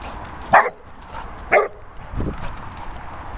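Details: A Labrador Retriever jumping and whizzing gives two sharp barks about a second apart, followed by a low thump and general movement noise.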